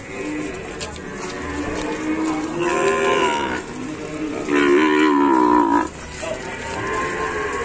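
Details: Fierce cattle in an Indonesian farm pen: two loud, drawn-out harmonic moos, the second stronger and wavering, over steady background music.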